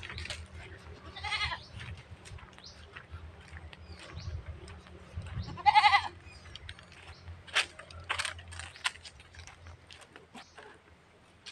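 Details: A goat in rural Philippines, described as very thirsty and about to be watered, lets out two short, nasal bleats several seconds apart over background clatter and faint voices.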